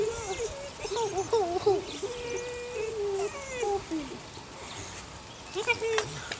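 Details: Puppies eight weeks old from Sunny, a neighbour's dog with six pups; thin wavering whines, some held level and some bending down, come in a loose cluster and then fade, with a human voice faintly in the background.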